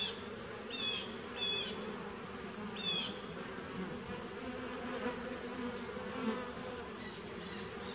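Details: Constant buzzing drone of a honey bee nucleus colony, September 2018, with quick paired chirps in the first three seconds and fainter ones later.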